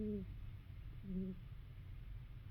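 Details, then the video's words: Sleeping female domestic cat snoring: two short, low tonal nasal snores about a second apart, each with faint higher overtones, over a steady low background hum. "Cat snoring"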